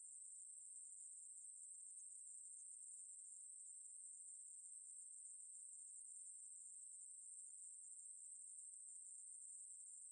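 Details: Continuous shrill buzzing of a Ruspolia katydid, 2020 National Institute of Biological Resources recording, a level, very high-pitched drone that does not change for the whole stretch, with a quiet background.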